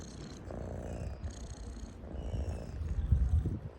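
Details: A cat purrs close up, a deep rhythmic rumble growing louder and throatier toward the end, with soft breathy pulses layered over the low drone.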